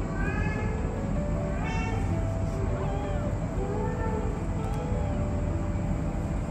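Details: Kittens calling for their mother cat to nurse, giving several soft, overlapping, wavering meows through the recording over a constant low background hum.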